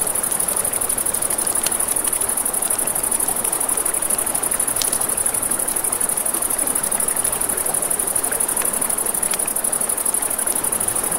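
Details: Crickets at night by a river: a steady, high, finely pulsed trill runs unbroken through the whole stretch, over crackling campfire snaps and a broad rushing murmur of flowing water.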